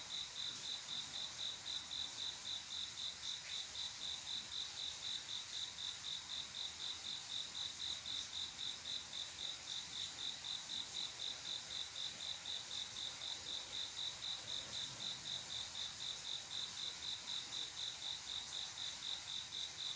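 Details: Male cricket singing to call a female for mating on a quiet summer night: steady high-pitched chirps repeating about four times a second throughout, evenly spaced, over a soft hiss.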